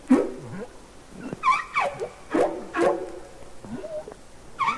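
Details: Humpback whale singing underwater, from the Capitol Records ST-620 recording: a run of short, whimpering upsweeps and downsweeps, some yelping and harmonic-rich, coming in bursts about every half second to second with low grunts between.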